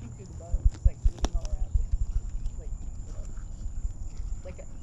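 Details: Cameron, an 18-year-old lion at Big Cat Rescue, coaxed into eating, crunches a leg bone: loud, irregular, low thudding crunches in quick bursts, then softer chewing, over a steady low rumble with faint human voices.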